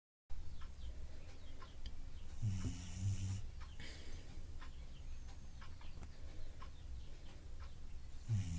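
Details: Dog snoring steadily, low rumbling breaths with a few louder snorts around the middle and end, faint background hiss.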